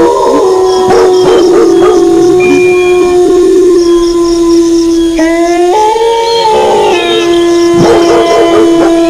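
A wolf gives a long, steady, mournful howl, with dogs barking in short bursts alongside.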